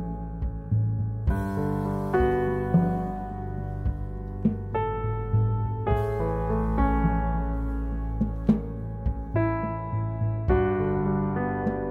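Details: Soft piano music with sustained chords plays throughout, with no animal sounds heard.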